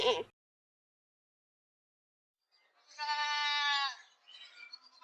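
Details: Goat sound: a clipped call at the start, silence, then a single smooth, even, nasal bleat lasting about a second, trailing into a softer, broken sound.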